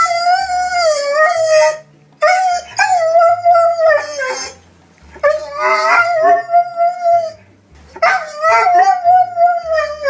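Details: Puppies crying and whining: loud, drawn-out, wavering whines and howls in three long bouts, sliding slightly up and down, with short yips mixed in and brief silences between; faint low tones underneath.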